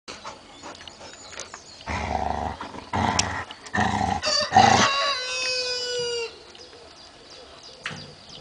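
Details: Very chubby Border Collie puppy letting out a drawn-out whining howl that slides gently downward for about a second, after several loud scuffling bursts and clatter.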